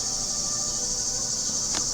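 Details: Bush crickets, locally called leaf bugs, calling outdoors in the background: a steady, unbroken high-pitched shrill buzz that holds throughout, with a brief faint tick near the end.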